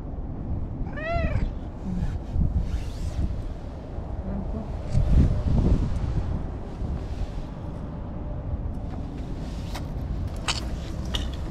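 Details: A stray orange-and-white cat named Anko, cuddling up at a Japanese lakeside at sunset, lets out one clear meow early on, followed by rustling, faint clicks and low outdoor rumble.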